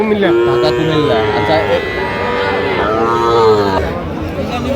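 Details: At a Bangladeshi livestock market where a Dhaka farmer buys young bull and heifer calves, 9 November 2025, cattle give long, harmonic lowing moos in two or three stretches, with people talking and bargaining close by.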